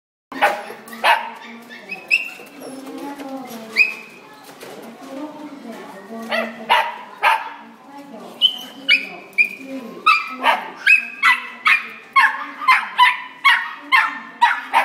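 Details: A dog yelping at an Italian Greyhound indoors: sharp, high yelps, sparse at first, then rapid and regular, about two per second toward the end, over a steady low hum.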